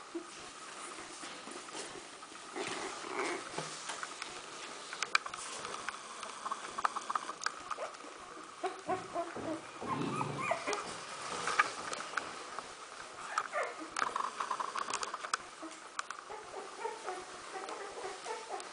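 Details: Smooth Fox Terrier puppies, 14 days old, from a kennel litter: a chorus of soft squeaks and whimpers, uneven and overlapping, with quiet rustling throughout.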